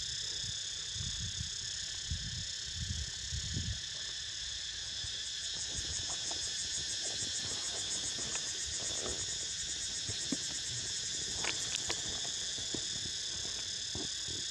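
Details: Cicadas keep up a constant high, layered buzz while Niko dozes; the top band pulses rapidly from midway on, and scattered clicks and a couple of sharper taps break through.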